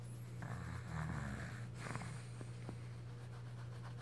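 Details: Dixie, a pet female beagle with a cold, snoring indoors: a rough, broad rasping inhalation lasting over a second, then softer breathy snorts, over a steady low electrical hum.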